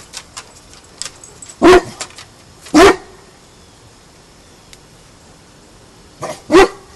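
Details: Indoor guard-dog barking from a home with an English mastiff and a Basset hound. The dog is being trained in guard duties and is spurred on to "get him." Three deep, loud barks at irregular spacing, with faint thuds in between.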